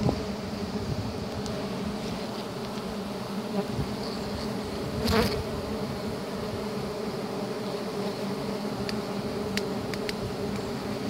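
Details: A dense swarm of giant honey bees (Apis dorsata), met while honey hunting, makes a steady, droning hum with a brief knock midway.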